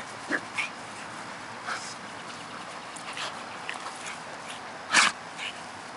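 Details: Pug and long-coated Akita dogs playing indoors, the pug pestering the Akita to play; short high whines and yips at scattered moments, one louder yelp near the end, over a steady background hiss.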